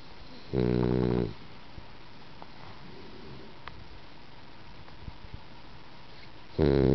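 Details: A sleeping French Bulldog, a female household pet, snoring indoors: a loud, rasping, harmonic snore lasting under a second, a quiet pause of about five seconds, then the next snore begins.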